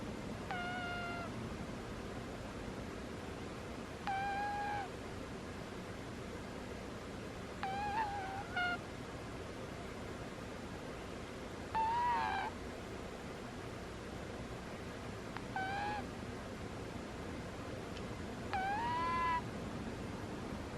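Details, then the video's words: A cat snoring in its sleep produces a run of six squeaky, whistle-like notes, some wavering or slightly rising, spaced roughly every three to four seconds against soft background hiss. "Cat snores are squeaky"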